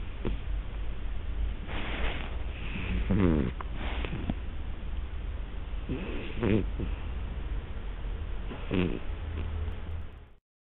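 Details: A partially-sighted, hard-of-hearing Siamese cat snores softly and raspingly, each low breath repeating every two to three seconds; he is said to be a habitual loud snorer with no medical cause.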